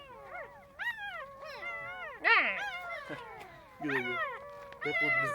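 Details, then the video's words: Newborn puppies, two days old, kept in a box, squeal and whine in short, high, bending cries, several overlapping, with louder bursts near the middle and end, and faint human voices. "Small puppies, just 2 days old"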